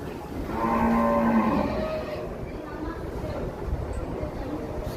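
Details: A very large cow, said to stand taller than a person, gives a low, drawn-out moo of about a second with rich harmonics, then crowd chatter and background murmur take over.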